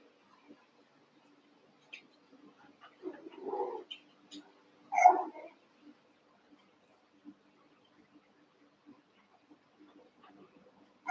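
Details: Cavalier King Charles Spaniel puppies, Daisy's six merged with Robin's two for play: a few short whiny yelps and whimpers at scattered moments amid long quiet stretches indoors.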